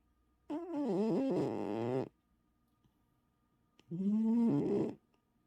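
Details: Sleeping domestic cat snoring loudly: two long raspy, harmonic breaths, the first about one and a half seconds with wavering pitch, the second shorter and steadier, separated by a quiet pause in a small room.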